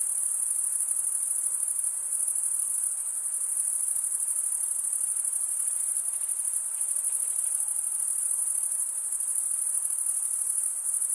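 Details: Crickets chirping at night in a summer forest: a dense, unbroken high-pitched shimmering trill from many insects, steady in loudness throughout, with faint soft background hiss and no other animals.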